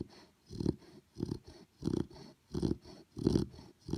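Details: Sleeping Chow Chow puppy snoring indoors: soft, rasping low breaths that swell and fade in a steady rhythm, roughly one snore every half second or so, with nothing else audible.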